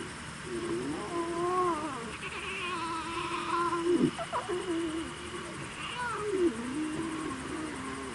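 Young lions call in long, tonal mews that bend up and down, sometimes breaking into a short grunt. Several calls overlap or follow one another every few seconds, with soft background rustling.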